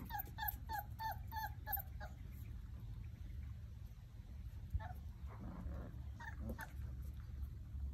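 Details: Basset Hound puppies, playing and exploring together, give a quick run of high, thin yips, then scattered whimpers.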